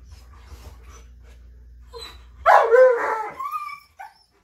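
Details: Tonka and Monroe, two dogs so excited before a bikejoring run that they cannot sit still for their leashes; after a low hum, one lets out a loud, harmonic whining yelp of about a second and a half that thins into a high whine.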